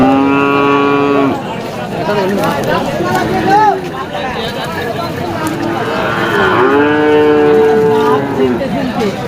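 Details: Friesian bull at a Bangladeshi livestock market: a long flat moo opens, then a tangle of shorter wavering moos from several cattle, and a second sustained low moo near the end, with buyers talking in the background.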